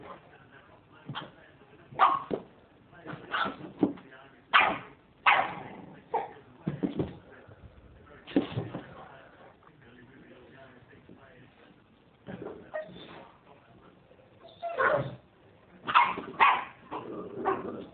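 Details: Staffordshire Bull Terrier Zappa, two years old, with new baby sister Mia: a string of sharp, loud barks in clusters, a lull midway, then another burst of rapid barks near the end, with some voices mixed in.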